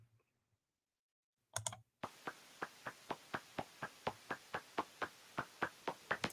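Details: Hoary bat echolocation pulses played back at the bat's actual rate rather than slowed, heard as a steady run of dry pops several times a second.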